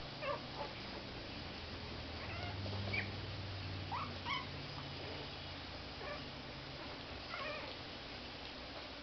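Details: Two 3-week-old puppies, Hiccup the runt and Shadow the largest, play together, giving short thin whimpers and squeaks scattered every second or so over a steady low hum and background hiss.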